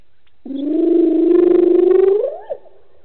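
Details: Evening call of a lone wild hyena after drinking at Gowrie dam, Sabi Sand, South Africa: one long, loud whoop held low and level, rising near the end into a brief upward sweep and quick drop.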